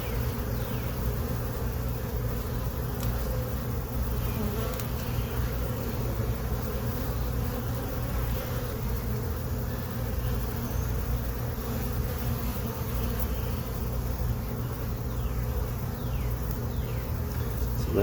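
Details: Honey bees in a hive box colonised on April 29, 2022, humming steadily while frames holding nectar and new comb are inspected late in the afternoon. The even, low buzz runs unbroken for the whole stretch, with a few faint knocks.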